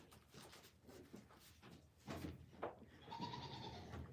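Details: Goat on a farm giving a drawn-out, wavering bleat in the last second, after scattered knocks, rustling and low murmurs.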